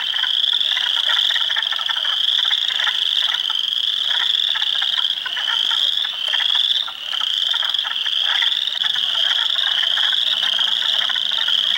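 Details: Hundreds of spring frogs calling in a swamp at Heartland Forest, Ontario, on April 2, 2022, including Spring Peepers, Wood Frogs and Eastern Chorus Frogs: a dense, continuous band of high shrill peeps over rapid clucking croaks.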